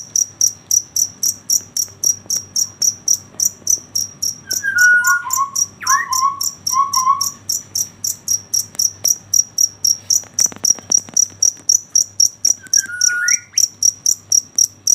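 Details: At night a cricket chirps in a fast, regular series of shrill pulses, about four each second, joined by a few scattered bird-like chirps and whistles midway and near the end.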